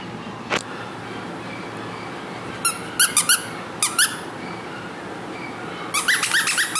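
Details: A small, lively young female Maltese gives short, high-pitched squeaky whimpers in small clusters, with a faint background hiss.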